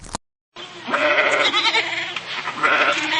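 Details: Goat bleating in a long, quavering, nasal voice. The harmonics wobble up and down, and the call continues for about two and a half seconds after a brief silence.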